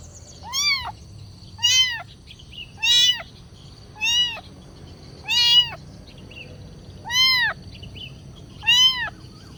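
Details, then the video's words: Hungry kitten begging for food with seven clear, rising-then-falling meows in quick succession, about one every second and a bit, over a steady quiet background hum. "Anak kucing meong-meong, suara kucing minta makan"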